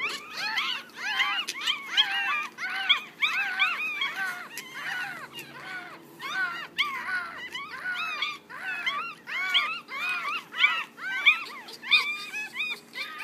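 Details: Six one-week-old Yorkshire Terrier puppies give a continuous chorus of high, overlapping arched whimpers and squeaks, many small voices crying at once without pause.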